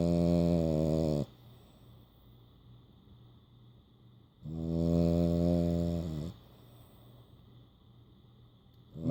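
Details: A French Bulldog snores with his eyes open and tongue out, giving deep, rumbling, buzzy breaths that each last a second or two.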